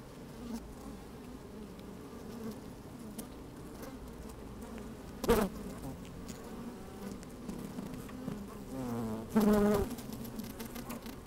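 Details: Honey bees busy inside an open hive on a fine, sunny day, with a microphone slid down among them: a steady low hum with bands near 200 and 450, broken by two brief louder buzzes and soft rustling of moving bees.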